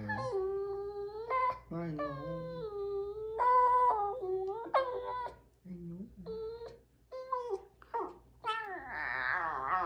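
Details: A female rescue Basenji-Husky mix puppy yodels in wavering, rising and falling whines and woos instead of barking; both breeds like to yodel and howl.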